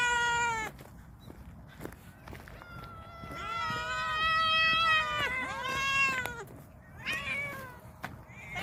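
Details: Garden-dwelling stray cats at feeding time meow repeatedly and overlapping, one long drawn-out wavering meow in the middle, shorter calls before and after, against light outdoor background noise.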